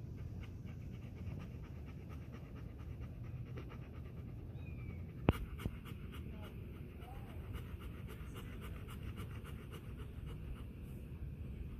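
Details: Jack, a Golden Retriever, lies and rolls happily on grass, breathing in continuous low panting, with a sharp tap near the middle and faint rustles.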